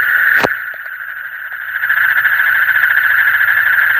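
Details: Night frog calls in the deep night form a continuous, rapidly pulsed trill. A sharp click opens the recording, then the buzzing chorus swells and holds steady.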